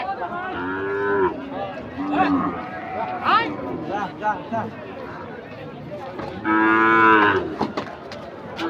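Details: Cattle being unloaded from a truck, recorded 3 April 2023 amid panic: two long, loud, harmonically rich bellows at the start and near the end, a shorter moo between, with people talking and shouting throughout.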